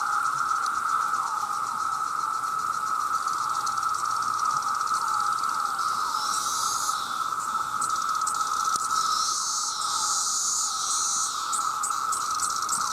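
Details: Millions of male cicadas crying out for mates, a deafening mass chorus: constant mid-pitched droning band with wavering, looping ripples, and bursts of high sizzling buzz swelling and fading in the upper range.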